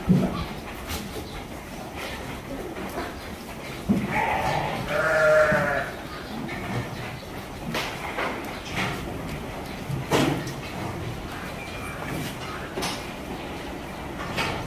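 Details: Goats at feeding time on a farm in Virar, Mumbai: one wavering, harmonic bleat lasting about a second near the middle, over constant clatter, knocks and a busy farmyard background.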